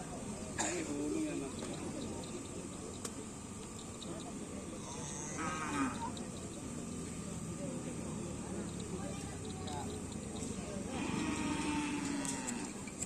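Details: Cattle at a karapan sapi bull race in the former Kawedanan Kota area of Pamekasan; a few low, drawn-out moos come near the start, around the middle and near the end, under steady crowd chatter and background noise.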